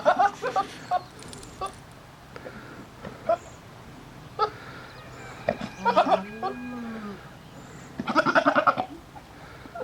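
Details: Nigerian Dwarf goats at breeding time, a male staying close: several short vibrating bleats, a drawn-out rising and falling bleat near the middle, and a strong pulsed bleat late on, with quiet shuffling between.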